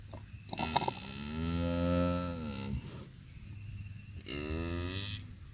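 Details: Cow giving birth to a bull calf on a farm, moaning in two drawn-out harmonic moos, the first long and slightly falling, the second shorter, over a steady low hum.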